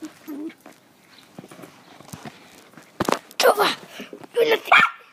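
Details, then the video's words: Pet dogs making weird noises: a couple of short, rough barks and yips near the end, after a stretch of quiet rustling and knocks, with a person's voice in the background. "My mum dogs making weird noise"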